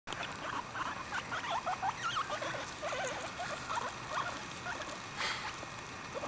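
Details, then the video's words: Five pet guinea pigs munching freshly picked grass and timothy hay, the black and white Abyssinian Revy doing the calling: a run of short, wavering squeaks, rising and falling, repeated many times over steady crunchy chewing. "Guinea pigs squeaking and eating fresh grass and timothy hay"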